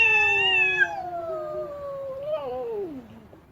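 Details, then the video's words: Angry female cat giving one long mournful yowl that starts loud and high, slowly slides lower with a brief waver, and trails off quietly. "เสียงแมวตัวเมีย ร้องโหยหวน กระทืบเท้าไม่พอใจ"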